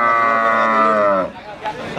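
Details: Adult feeder cattle at the Wagenan cattle market in Pati, Indonesia, on 5 March 2019; one long, loud, rich moo with a slowly falling pitch lasting over a second, then market murmur and a man starting to speak.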